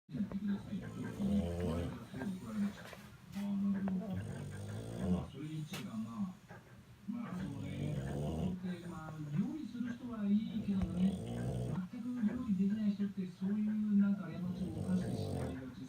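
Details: Bulldog sleeping comfortably indoors, snoring with low rumbling breaths that rise and fall every couple of seconds, a steady droning tone underneath, faint background sounds throughout.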